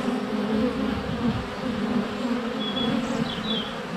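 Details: Honey bees in flight close to a hive entrance on a sunny February day, recorded with a GoPro less than a foot away; dense steady droning hum of many bees, with a few faint high bird whistles near the end.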